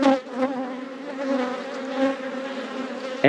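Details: Western honey bees buzzing at an open hive while a summer nucleus is inspected; the bees get angrier in some situations. Steady low droning hum with strong harmonics, swelling and easing, and a brief louder burst at the end.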